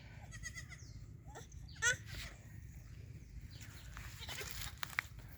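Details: Black Bengal goat kept for farming, giving short wavering bleats early on and a brief, louder bleat near the two-second mark, amid scattered clicks, knocks and steady low background rumble.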